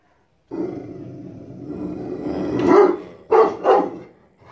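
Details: Rottweiler guarding the house: a long low rumbling growl swells into a loud bark, followed by two more short harsh barks.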